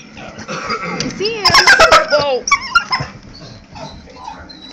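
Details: Pet dog at home watching a squirrel outside, giving high squeaky dolphin-like whines in bending, looping tones for about a second, with a woman talking to it before and after.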